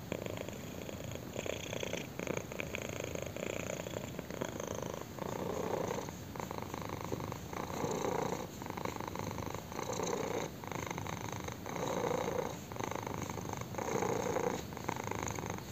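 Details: A kitten enjoys a chin scratch, purring continuously. The low, buzzing rumble rises and falls in breathing cycles about every two seconds. The purr is close and steady, with nothing else heard.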